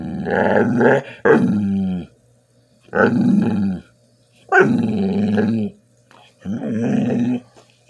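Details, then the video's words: Bull terrier 'talking' while begging for food indoors: four drawn-out, groaning, growl-like vocal bursts of about a second each, rising and falling, separated by short pauses, with a faint steady hum underneath. "Bull terrier talking begging for food"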